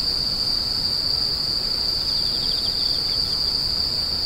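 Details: A high, steady insect ringing runs the whole way through, with a quick series of pulsed chirps about halfway, set against a faint low rumble.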